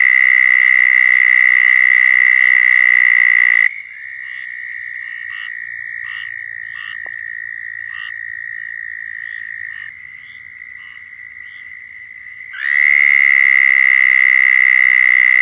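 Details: Southern toads in Florida give long, steady, high-pitched musical trills as mating calls, several overlapping in a loud chorus.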